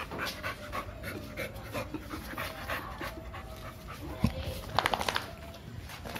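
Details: A two-year-old American Bully named Milo pants rhythmically while wanting to play, with some speech and a few sharp knocks or clicks near the end.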